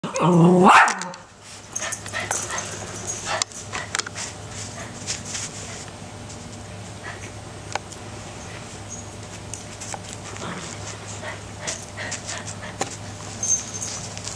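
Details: Three puppies, Jackson, Moe and Larry, playing with a new toy in their pen: one loud, short high yip-bark in the first second, then quiet room noise with a steady low hum and scattered small knocks and rustles.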